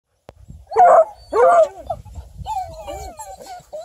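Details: A ten-month-old female Bluetick Coonhound, house-raised: two loud, hoarse barks in quick succession, followed by softer, sustained nasal whining tones that waver up and down, with faint rustling.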